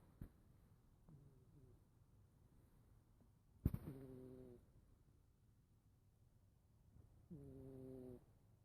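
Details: Domestic cat snoring loudly while asleep indoors; quiet low rumbling breaths with two clearer harmonic snores, one short burst near the middle and another toward the end, separated by near silence.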